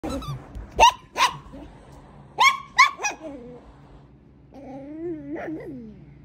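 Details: Two Brussels Griffon pups playing together in excitement give sharp, high barks: two quick ones, a pause, then another close pair, followed by a drawn-out wavering whine with a rising and falling pitch.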